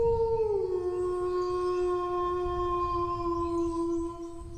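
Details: Dog howling: a long sustained tone that starts higher, slides down within the first second, then holds steady and slightly wavering to the end, with rich harmonics above and low rumbling background noise.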